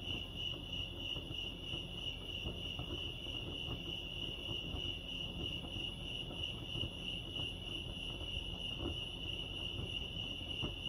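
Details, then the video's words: Lake Arrowhead crickets in California fill the air with a sustained, high, ringing trill that wavers slightly in strength, with a steady low rumble in the background. "crickets chirping lake arrowhead"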